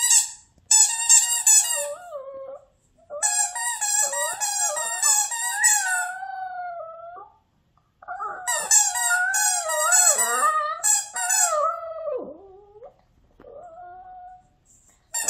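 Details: Maltichon named Gang-i singing a howling tune along with a noisy squeaky toy indoors; wavering, whining howls sliding up and down, delivered in long bursts with short pauses, mixed with sharp high squeaks.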